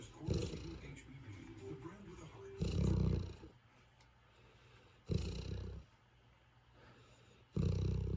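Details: A tired Golden Retriever snores with low, rumbling, rasping breaths, each under a second and recurring about every two and a half seconds, with quiet pauses between.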